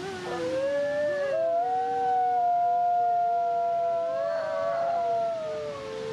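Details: Alawa and Zephyr, captive-born Canadian/Rocky Mountain gray wolf siblings at a wolf conservation center in South Salem, New York, howl a duet. Their long, smooth voices slide and overlap at slightly different pitches.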